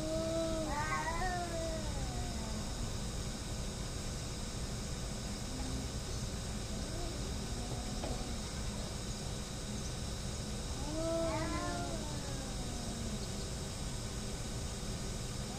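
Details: Fighting cats hating each other: two bursts of wavering, rising and falling caterwauls, the first near the start and the second about ten seconds later, with a long quieter gap of low growling tones in between, over steady background hum.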